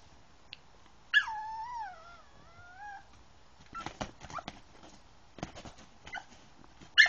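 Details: Yorkshire Terrier named Teemo whimpering indoors while trying to get onto a bed; one long tonal whine, high then dipping and wavering, about two seconds, followed by rustling and scratching, then a short sharp squeak at the end.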